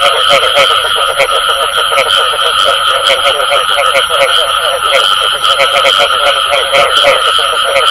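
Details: Frog calls featuring the "bù tọt" sound named in Vietnamese; quick, rattling croaks tumble over one another in a thick continuous chorus, with a constant thin whine running behind them.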